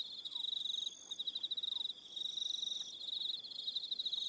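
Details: Evening insect chorus of crickets on New Zealand's Aroha Island: rapid high-pitched pulsing trills from several callers, briefly dipping and resuming, with a couple of faint sliding whistles early on.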